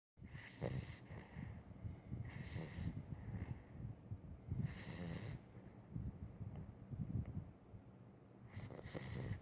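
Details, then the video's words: A sleeping Weimaraner dog snoring: soft, low rumbling breaths with a breathy hiss, coming in rhythmic bursts about every two seconds, fairly quiet and close, with no other clear sounds. "the Weimaraner snoring"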